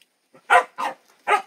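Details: A dog gives three loud, short barks, two close together then one after a pause, each bright and harmonic-rich against a silent background.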